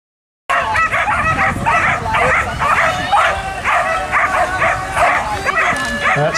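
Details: Border collies at work giving rapid, repeated barks, roughly two per second, amid applause and human voices at a working run.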